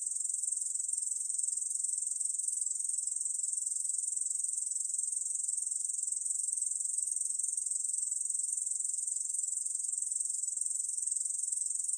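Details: High, hissing continuous buzz of a Korean bush cricket, recorded in 2020, steady in pitch and volume from start to finish, with no background sounds.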